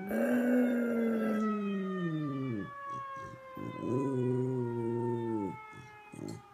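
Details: A dog named Whitney howls along with a tornado siren, long harmonic-rich howls sliding slowly downward, breaking off and resuming, over the steady falling wail of the siren.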